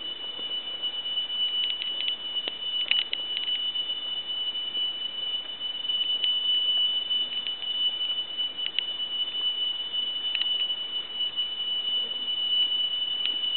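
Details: A tree cricket in dense forest sings a steady, high, unbroken trill like a pure whistled tone, likened to a temple bell.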